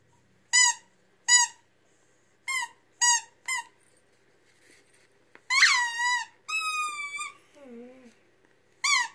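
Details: A Weimaraner sings along to music in short, high, yelping whines, then drawn-out wavering howls that slide downward.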